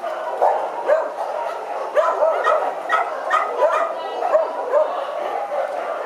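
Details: German Shepherd at a shelter during free walking, amid a chorus of many dogs barking and yelping continuously, with overlapping sharp barks roughly every half second and a constant noisy background.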